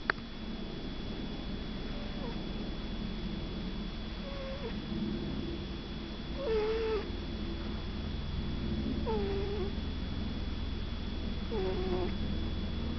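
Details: Shih Tzu puppy asleep and snoring: soft squeaky whistling breaths, each a short wavering tone with faint overtones, returning roughly every two to three seconds over a steady low hum.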